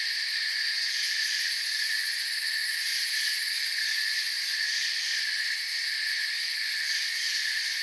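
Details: Crickets in a forest keep up an even, high-pitched trilling chorus, several layered bands of sound running without pause across the short stretch, with slight rhythmic pulsing on top.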